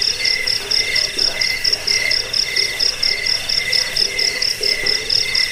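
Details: Crickets chirp for rat repelling, sleep and songbird training. Bright, high-pitched bursts repeat roughly twice a second in a fairly even rhythm, backed by a fainter, lower insect trill.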